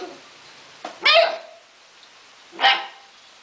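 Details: Four-month-old Akita Inu mix puppy playing, letting out two loud, sharp barks about one and a half seconds apart in a quiet room.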